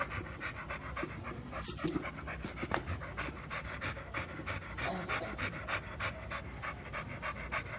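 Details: Two-year-old American Bully named Milo, eager to play, panting fast at roughly three breaths per second, each puff a short airy burst, with a couple of brief clicks and handling noises.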